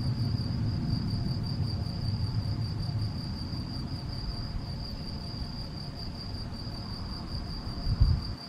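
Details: Gryllus campestris male, Vila do Conde, Portugal, 7 May 2021, Canon PowerShot SX70 HS: uninterrupted piercing trill holding one pitch, with a fairly loud low rumble of wind and a thump near the end.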